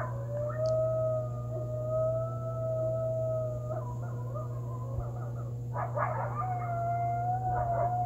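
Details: Backyard coyotes howl under the waxing gibbous moon on the night of November 29th, 2020, with sustained level wails, then a burst of excited yips and quavering notes from the group, a constant low electrical hum beneath.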